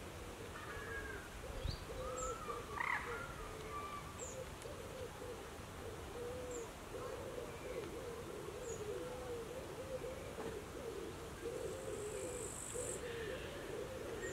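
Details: A beaver at Luther See gives a steady run of whiny, wavering, mid-pitched calls that rise and fall almost without pause.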